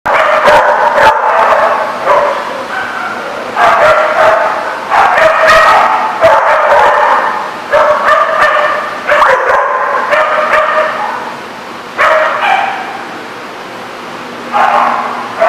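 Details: Several dogs barking at a dog lot in a busy, overlapping chorus, sharp barks and yips coming in bursts with short pauses, a steady low hum underneath.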